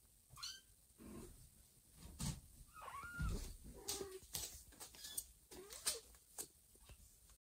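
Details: A mother cat moving her kittens one by one in her mouth to a safer spot; the unhappy kittens give a run of short meows, some thin and high, others lower, over soft bumps and rustling.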